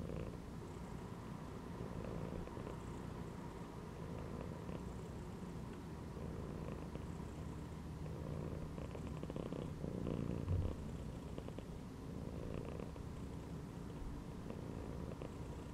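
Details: Domestic cat chilling in a gym belt purrs in a low, rhythmic rattle, louder on each exhale and softer between, repeating every couple of seconds, with a faint brief bump near the end.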